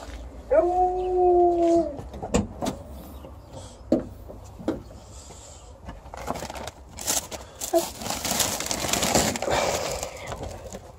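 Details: Female Alaskan Malamute greeting her returning people with one smooth howl of about one and a half seconds, followed by clattering, handling noises and snatches of human voices.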